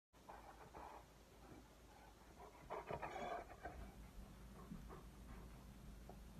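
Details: A Great Pyrenees dog indoors gives soft whining, whimpering vocal bursts with quick panting-like breaths, louder around the middle; a woman's voice speaks before and after, asking whether to go outside.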